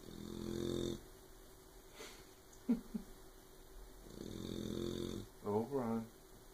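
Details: Puppy snoring loudly while asleep indoors, loud enough to keep another dog awake: droning, buzzy snores about a second long near the start and again midway, with brief squeaky voice-like sounds and soft knocks between.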